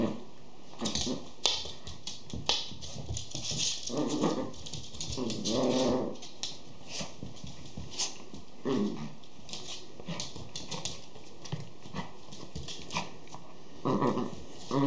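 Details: Schipperke puppies whimpering and whining indoors, a run of soft, wavering tonal cries in the middle with shorter yelps and scuffling, patter-like noises scattered through the rest.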